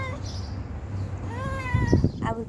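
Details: A begging stray cat gives a rising-then-falling meow about two-thirds of a second long. A person's voice follows immediately, against a low hum.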